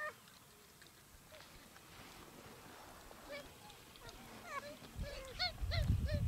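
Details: Simien geladas in Ethiopia, October–November 2015: after a quiet, breezy start, a quick series of short arched harmonic calls comes about four times a second near the end, joined by wind gusts.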